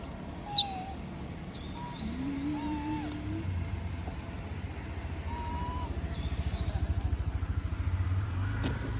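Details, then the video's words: Moby the monkey begging for food while others eat peanuts: thin whistled whines, some level, some falling, plus one low, drawn-out rising whimper, over a steady low rumble, with brief high chirps between. "S@d Sound Monkey Moby Ask Food While Others Eating Peanuts"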